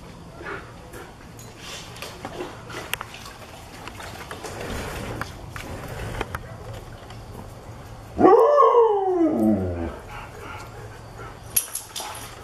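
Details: Play session on 10/20/16 between lighter Husky Alexei, rescued six days earlier, and Odessa, a Great Pyrenees cross, while darker Husky Ivan watches; quiet scuffling gives way to one loud, drawn-out rising-then-falling yowl around eight seconds, with a faint steady hum.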